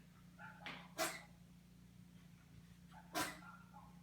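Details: A neighbour's dog gives two sharp, loud, broadband barks about two seconds apart against a constant low hum.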